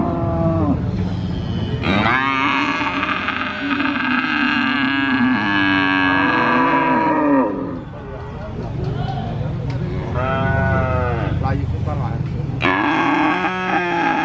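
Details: Calf mooing continuously at a cattle market in Purwokerto, Indonesia, an adult cow also calling now and then: long, loud, harmonic moos with wavering pitch, one running about five seconds, separated by short pauses, crowd murmur behind.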